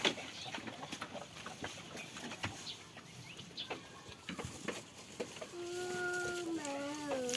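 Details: Goat on a farm during play and feeding. A long, clear, nasal bleat near the end holds steady, then drops and wavers into a shaky tail, after several seconds of clicking, rustling farmyard noise.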